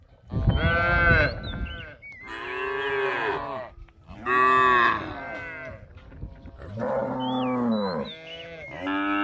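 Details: Cattle wandering and feeding across a rice field, mooing in long overlapping bellows with almost no pause between them, while small birds twitter faintly in the background.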